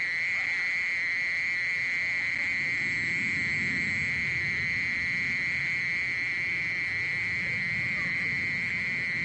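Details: Mole cricket giving a constant, unwavering high trill that runs unbroken for the whole stretch, accompanied by soft low rumbling background noise.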